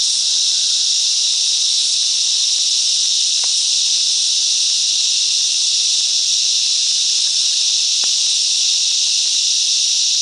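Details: Cicadas singing together in the bush mangroves of Coffs Harbour, NSW, Australia; a dense, unbroken high hissing buzz holds steady and loud throughout, with two faint sharp clicks near the middle and end.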